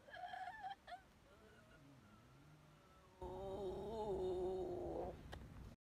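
An elephant gives a loud, wavering, tonal roar after a few shorter harmonic calls and low rumbling.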